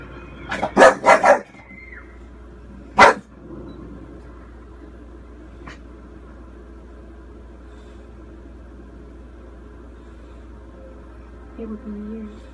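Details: Four-year-old female English Bulldog watching the horror film Crimson Peak on TV, barking to warn a girl on screen; a rapid burst of three harsh barks, a pause, a single bark two seconds later, then steady room hum and faint voices near the end.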